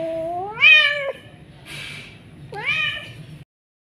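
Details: Persian cat, a house cat, giving two clear meows: the first rising and held for about half a second before dropping off, the second short and rising after a brief breathy hiss-like sound, in a quiet room.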